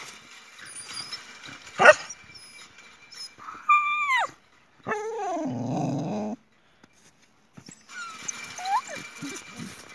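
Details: Boxer Jessie and her friend Spike quarrelling over a toy: short yelps, then a bending high whine that drops in pitch, followed by a sustained rough growl lasting about a second and a half, and further whines afterwards.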